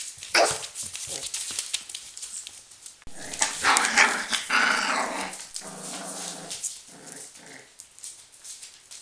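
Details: Four-week-old Border Collie puppies with their mother, FI CH Arttulan Loistava "Nova": playful growling and yappy barks crowd the middle seconds in harmonic bursts, preceded and followed by scattered short yelps over steady rustling and scuffling.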